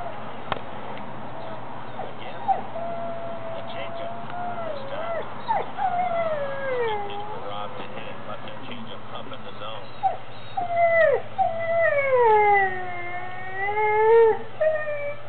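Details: Dog howling in reaction to being given a lamb bone treat; wavering tonal howls start faint and grow louder and longer toward the end, with falling and rising bends, some background talk early on.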